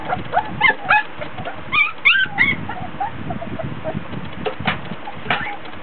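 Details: Three-week-old Border Collie pups in a whelping box, hot and tired during a play session, whimper and yip: short rising squeals in clusters, several voices together, then softer whines amid scuffling.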